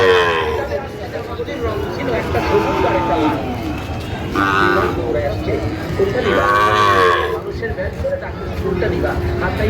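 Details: Sahiwal bull calves at a cattle market in Madaripur, Bangladesh: two drawn-out harmonic moos, the second wavering, over steady crowd chatter and market bustle.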